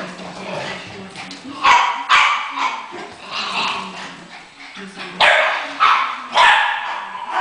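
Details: Shiba Inu barking in sharp, loud bursts, roughly four barks spaced irregularly over seven seconds, with people talking throughout.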